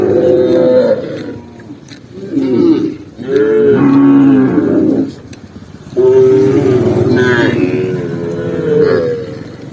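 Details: Tame cow walking across a green forest, with several separate moos of varying pitch, some bending down and some rising, split by quieter gaps; loud throughout with a faint higher whine near the end.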